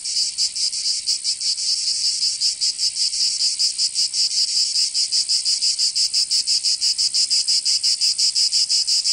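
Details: In the southern French region of Provence, summer cicadas keep up an intense, high buzzing drone that throbs in fast rhythmic pulses, slightly irregular, without other noises.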